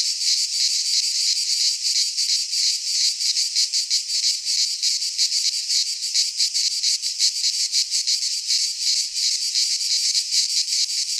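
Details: Singing cicadas fill a Greek pine forest in midsummer with an intense high buzzing wall of sound, throbbing quickly and fairly evenly near three pulses a second, with no other noises.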